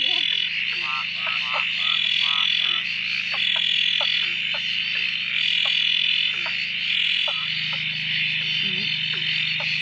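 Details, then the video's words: A dense frog chorus at a dam at night near Drake, after days of steady rain ended the frogs' silence: short, repeated croaks overlapping rapidly over a steady high insect-like hiss. "Frog chorus after the rain: near Drake"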